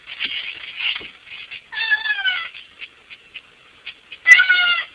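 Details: A cat trying to fit through a window to get inside the house gives loud, drawn-out harmonic meows that slide downward, with softer short mews and rustling between them.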